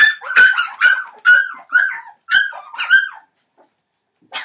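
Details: Entlebucher Mountain Dog puppies, 21 days old, from a litter born 28 December 2013; a run of six short harmonic yelping calls about every half second, then quiet with one faint call near the end.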